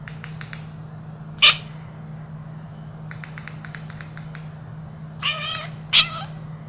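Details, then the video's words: Domestic cat during play, giving a few short meows: a brief sharp cry near 1.5 seconds, then a longer wavering harmonic call and a final sharp meow near the end, over a steady low hum and soft clicks. "Funny cat noises"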